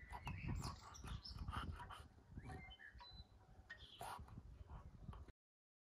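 An English Bulldog breathes noisily, with rough snuffling snorts and brief high whimpering squeaks.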